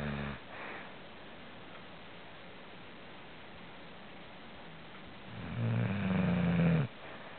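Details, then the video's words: Chuck the dog snoring: a long quiet stretch of faint background hiss, then one low, droning, harmonic snore lasting about a second and a half near the end, followed by quiet again. "Chuck Snoring"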